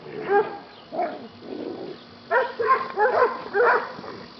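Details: During play fighting, Buddy the yellow Lab rescue dog gives rough, growl-tinged barks, first spaced singly, then in a quick run of four close together, with a low hum underneath.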